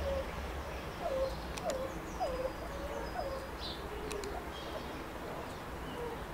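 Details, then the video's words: Meerkats at Rostock Zoo, Germany, chirping and calling: a series of short, bright chirps rising then dipping, about one every half second for the first few seconds, over steady low background hum with faint clicks. "Cute meerkats chirping calling and vocalising"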